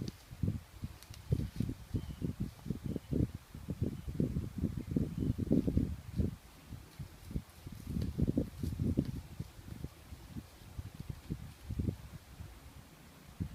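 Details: Whitetail buck tending, giving a steady series of short, low grunts about twice a second with brief pauses, in quiet outdoor surroundings.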